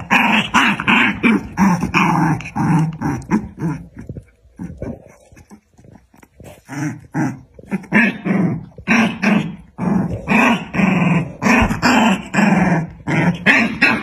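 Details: Fighting pair of dogs, black against white, trading loud rasping growls and snarls in choppy bursts, a quieter lull midway before the harsh growling resumes at full force.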